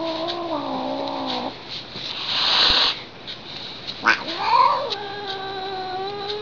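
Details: Displeased house cat Lily caterwauls like a theremin: a steady wavering tone, a rustling pause, then a rising yowl that levels into a sustained plaintive note.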